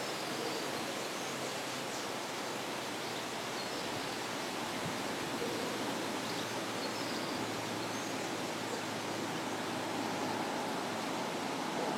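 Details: Steady broadband rushing noise like running water or wind, with no animal calls.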